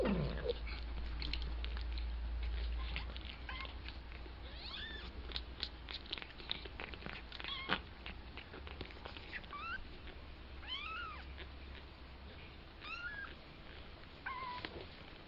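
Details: Tiny two-week-old kitten, learning to walk, calls with thin, high-pitched mews that rise and fall, scattered every second or two through the second half, among soft pattering and tapping sounds from its movements.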